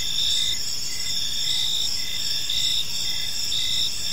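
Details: Several crickets chirp in a park at evening, high continuous buzzing tones with short pulsed chirps about twice a second, low ambient hum underneath.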